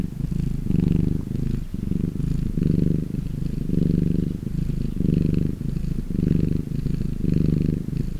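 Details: A very relaxed domestic cat purring steadily, a low rumbling purr pulsing in even breaths about once every second, close and loud with no other sounds.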